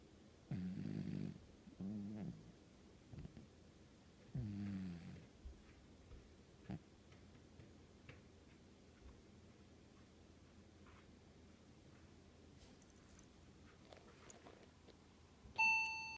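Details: Sound-asleep cat snoring: three low, buzzy, rattling breaths in the first five seconds, then a long quiet stretch with small clicks and shuffles, ending in a sudden short high-pitched tone.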